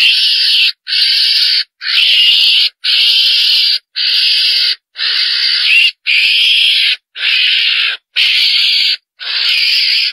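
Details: A civet gives harsh, hissing screeches, each under a second, repeated about once a second with short silent gaps; the recording is a hunting lure call said to draw a whole group of civets.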